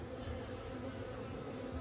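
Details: Honey bees working the frames of their hive during a first beekeeping inspection, a steady low droning hum with even overtones holding throughout the brief moment, no other sounds standing out.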